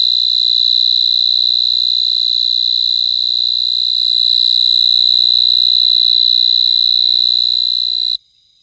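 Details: A cricket sings a continuous, high, even-pitched trill that holds at a steady level for about eight seconds, then stops abruptly. No other sounds are heard.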